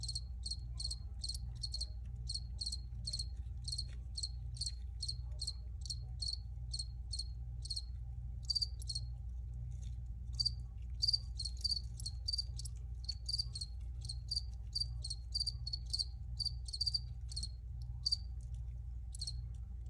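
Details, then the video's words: Persistent cricket chirping: rapid, evenly spaced high pulses, several every second, growing denser and louder midway, with a faint low hum underneath. "Cricket Sounds"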